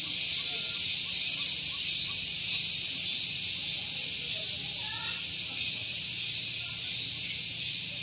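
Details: Cicadas on a morning at Gunung Geulis, Bogor, West Java, Indonesia, recorded near a vehicle parking area: a loud, unbroken hissing drone with a faint steady pulsing, and a few soft chirps far beneath it.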